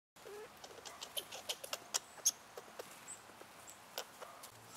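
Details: Two neighbouring squirrels, possibly siblings, chatter at each other over food in quick, dry, irregular clicks and ticks, about three a second, over a faint background hiss, with a blue jay nearby.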